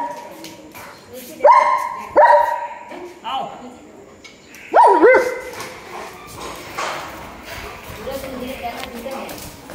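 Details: German Shepherd dog reunited with its owner after one month apart, giving loud, high, tonal whining yelps in three sharp bursts, two close together early and one later, over quieter human voices and household background.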